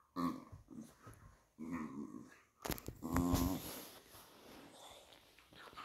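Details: Patterdale Terriers Obscura and Estacado, fell terriers, playing rough indoors: low rumbling growls in two bursts, then a louder snarl amid scuffling and rustling, fading into breathy background noise.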